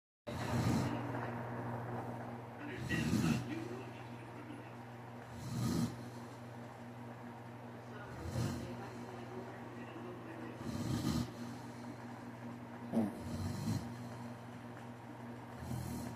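A sleeping Shih Tzu gives steady, breathy snores, each a short rasping rumble repeating roughly every two and a half seconds. A low, constant hum runs underneath throughout.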